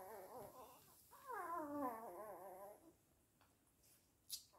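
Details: A single Weimaraner whine, wavering then sliding downward over about two seconds, preceded by a softer whimper and followed by near silence and a brief click.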